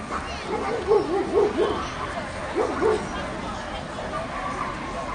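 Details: Dogo Canario at the National Dog Show (CAC) in Toruń, 19 August 2007: a quick run of four short, mid-pitched barks, a pause, then two more, over steady indoor crowd chatter.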